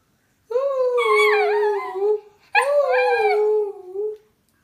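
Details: A female Italian Greyhound "sings", a release she enjoys now and then: two long, wavering howls, each sliding slightly downward and ending in a soft upturn.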